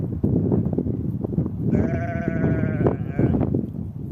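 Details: Sheep in spring on grassy steppe, a mother ewe with her lamb. One long, wavering bleat with rich harmonics lasts nearly two seconds against strong, gusty wind roaring over the grass.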